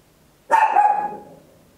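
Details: Single loud bark from a tiny Papillon dog, recorded at home in stereo on an Olympus LS-11: a sharp onset, then a tonal ring with stacked harmonics fading over about half a second, in an otherwise quiet room.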